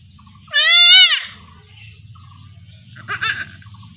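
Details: Young goat kid bleating while being castrated at home in a village in rural Bengal: one loud, wavering, nasal bleat lasting under a second, then softer scattered sounds and a low steady background hum.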